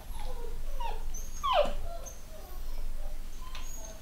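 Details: Young pedigree Long-haired Miniature Dachshund puppies from a new litter make thin, wavering whimpers, with one sharper downward-sliding yip standing out. A steady low rumble runs underneath throughout.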